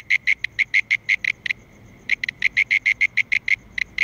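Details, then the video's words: Mole cricket (Gryllotalpa sp.) calling with pure, buzzy chirps in a quick regular train, pausing briefly before resuming. "Mole Cricket (Gryllotalpa sp.) Calling"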